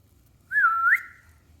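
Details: Six-week-old Yorkshire Terrier puppy Clover, a male eager to play after eating, lets out a single clear, whistle-like whine lasting about half a second, dipping slightly then rising at the end, in a quiet indoor room.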